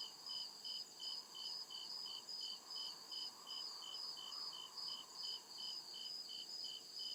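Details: Night chorus of crickets deep in a forest, high bright chirps pulsing evenly around two and a half per second in stacked bands, over a continuous shrill insect buzz and a faint murmuring lower tone.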